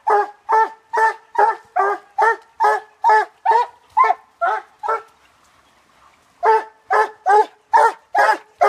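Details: Treeing Walker Coonhound barking at the tree at night: loud, crisp, evenly spaced barks about two per second, then a pause of roughly a second and a half before the barking starts again.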